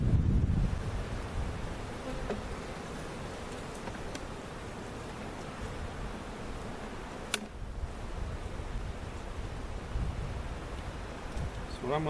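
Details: Honey bees from a large cutout hive, moved to their permanent spot at Jerome Bee Farm in Central Oklahoma, fill the air with a dense, low, continuous droning hum; a few soft knocks and clicks are also heard.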